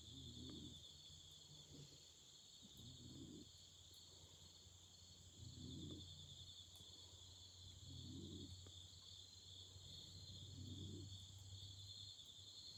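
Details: Continuous high-pitched insect trilling of an autumn evening by a campfire, holding steady in two bands, with low thumping pulses recurring about every two and a half seconds and scattered faint clicks.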